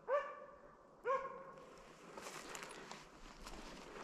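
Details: Slovakian hound named Arrow baying in place at wild boar during a driven hunt with dogs in Sweden, November 2022; two ringing, harmonic barks about a second apart, then rustling and footsteps outdoors.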